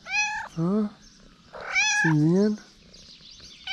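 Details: Hungry stray cats in Morocco call out on seeing the person bringing food: loud, nasal meows, some high and bending upward, others lower and rising, alternating closely with short pauses between.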